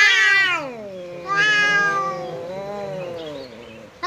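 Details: Cat in a standoff with a visiting cat: a loud high wail, then another rising yowl that sinks into a long wavering low moan.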